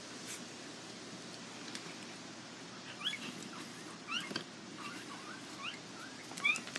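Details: Border Collie puppies from a Nell x Skeet litter at the International Peace Gardens, 12 August 2018: several thin, high squeaks, often rising, come in scattered clusters over a steady background hiss, from more than one pup.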